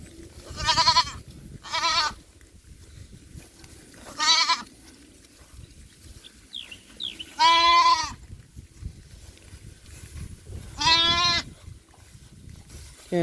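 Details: Goat on a small farm where a kid has gone missing and people search near a well; a series of loud, wavering harmonic bleats, some long and quavering, spaced irregularly over several seconds, with faint rustling and a quiet background.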